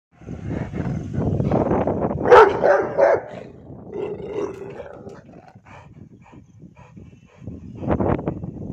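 A Rottweiler gives deep, rough barks in an uneven burst, then pauses before one last bark.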